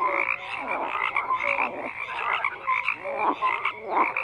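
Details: Short burst of a frog chorus, overlapping raspy croaks and quick bright whistle-like notes repeating steadily with no other noise.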